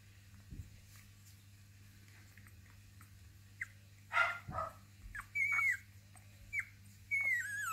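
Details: Basenji puppies from litter F of the Zakira kennel indoors, giving high, thin whines that slide downward, several short squeaks clustered near the end after a louder broadband scuffle in the middle, over a steady low hum.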